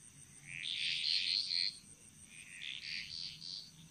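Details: Chorus of frogs in the jungles of Bali, Indonesia: bright clusters of high pulsed, rattling notes in two main bursts, early and late, over a constant thin high whine.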